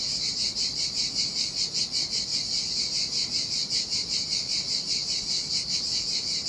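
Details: On a deserted Sardinian beach in the heat, cicadas sing a piercing, metallic buzz that rises and falls in quick regular pulses, roughly two or three per second, over a quiet wash of sea surf.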